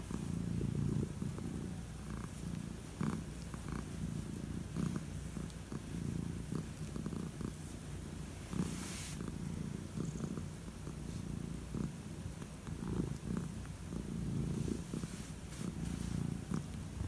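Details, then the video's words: Old calico cat receiving head strokes before bed, giving a long, unbroken low purr that rises and falls with each breath, accompanied by occasional soft rubbing noises. "Enjoying head strokes before bed!"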